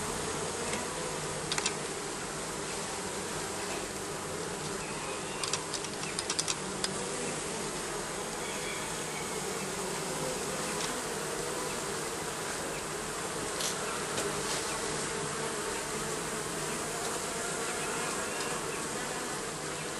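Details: Steady buzzing from bees under the roofing runs throughout as an even droning hum, with scattered light clicks and taps around two, six and fourteen seconds.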